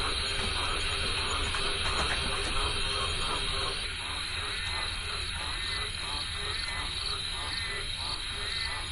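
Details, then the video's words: Frogs croaking along a river, a dense chorus of rapid pulsed croaks repeating about four per second over a steady hiss, with a thin high insect-like trill running throughout. "Croaking frogs"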